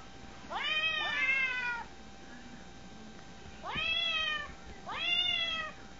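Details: Domestic cat meowing while trying to get at a cat on a phone: three drawn-out, harmonic meows, the first long and slightly falling, then two shorter ones after a pause, in a quiet small room.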